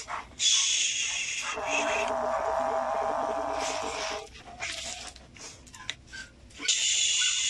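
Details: Angry kittens hissing: a long, harsh, breathy hiss of about a second opens, then a fuzzier stretch of rasping noise and scattered short bursts, before another strong airy hiss at the end.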